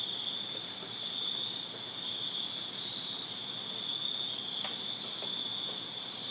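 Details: Crickets chirping on a summer night in a backyard in Virginia: a dense, steady high-pitched trilling chorus of many insects, unbroken throughout, with a few faint clicks.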